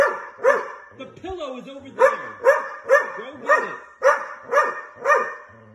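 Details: Repeated loud barking from an angry dog, about two barks per second after a short gap with a sliding, whining sound near the start.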